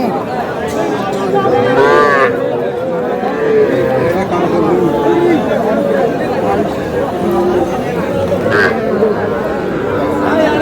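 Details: Cattle, small bulls and heifer calves, at a busy livestock market in Comilla, Bangladesh, lowing amid constant crowd chatter and bargaining voices, with a drawn-out moo rising through the din near the two-second mark.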